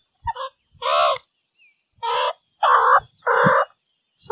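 Meerkat giving a series of short, harsh, nasal calls with a few soft clicks between them.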